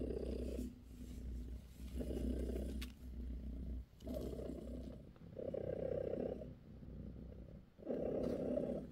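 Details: Steady low purring from Bassy, a British shorthair mother cat tending her kittens, its rough rumble rising and falling with each breath in uneven cycles, some brief soft rustles between.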